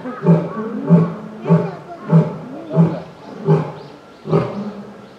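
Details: Asiatic lion named Baduri at Yokohama Zoological Gardens ZOORASIA, Japan, filmed November 2019, roaring in a series of deep, grunting pulses repeated roughly every 0.6 seconds, about eight in five seconds, with a short pause before the last.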